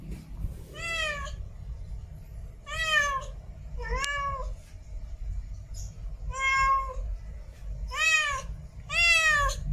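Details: Female domestic cat in heat calling for a mate: six drawn-out, harmonic meows, each about half a second, rising then falling, spaced irregularly every one to two seconds over low background rumble.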